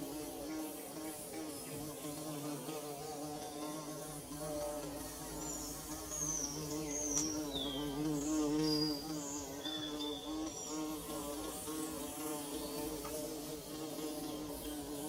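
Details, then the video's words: Bees at work building their nest give a steady, droning buzz with wavering overtones that holds throughout and swells slightly midway, while thin high chirps, probably birds, flick in the background. "Bee Buzzing"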